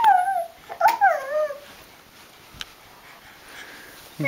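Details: Indoors, a dog whimpers in two high, wavering whines that dip and wobble during the first second and a half, then falls quiet. A soft knock and a human voice come at the end.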